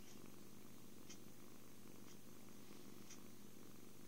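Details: Happy kitten purring during cuddles, food and sleep: a steady, low, continuous rumble with faint soft clicks about once a second, recorded indoors on a phone.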